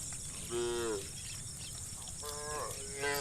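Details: Dozens of tame cows roaming muddy rice fields toward fresh grass; short, harmonic-rich moos, one near the start and two more close together at the end, over a steady high insect hum.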